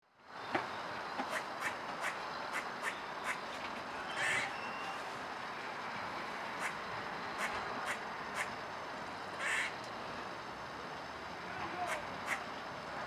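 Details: Squirrel on 12 April 2016 gives sharp, clicking chucks at an uneven pace, broken by two louder, harsher barks; the recordist suspects they caused the unusual calling.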